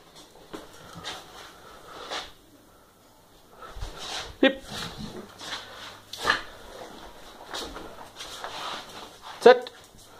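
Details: Stella, a Staffordshire Bull Terrier, performs as asked while anticipating her treat: a few short, sharp barks and soft whimpers break through a person's voice talking to her.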